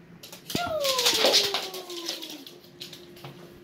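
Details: Leo, a pet border collie indoors, wanting to play: a single long whine sliding smoothly downward in pitch over about two seconds, followed by faint rustling and light thumps in a small room.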